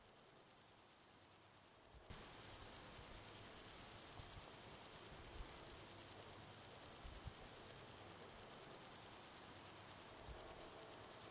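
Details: A male common wart-biter (Decticus verrucivorus) sings a long, steady series of sharp, high ticking clicks, recorded 1 August 2020 at La Côte d'Urbul, France.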